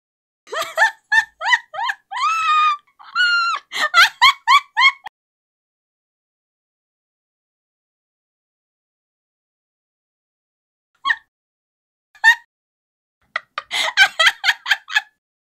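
A pika gives quick runs of sharp, squeaky, nasal chirps, then falls quiet before calling again.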